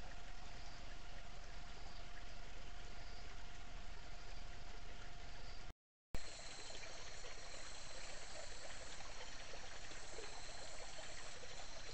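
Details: Steady rushing water like a stream or trickle, with a faint constant hum and a brief gap midway, and no animal voice.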